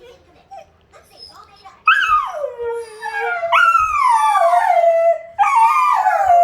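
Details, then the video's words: Wolfdogs Lupo and Kano howling at midnight: a quiet start with faint murmurs, then loud harmonic howls from about two seconds, each falling from a high onset into a long wavering tone, with a second voice overlapping. "lupo and kano midnight alarm clock"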